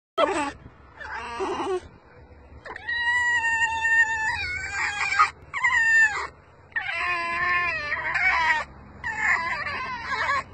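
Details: A rescue fox squealing while being petted: a run of loud, high, strained squeals and whining cries with shifting pitch, coming in bursts of about one to two seconds separated by short pauses.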